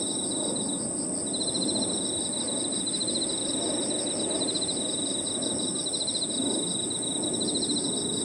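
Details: Crickets and other insects singing in a park in the evening: a steady high-pitched whine runs throughout, and after about a second a rapid pulsed trill joins lower down, over a dull low rumble of background noise.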